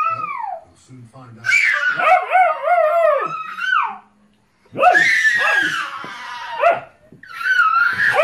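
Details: Alaskan Malamute playing with and guarding babies indoors, giving long wavering howl-like talking vocalisations that rise and fall in pitch, in two main bursts with a short pause between, plus a brief later phrase.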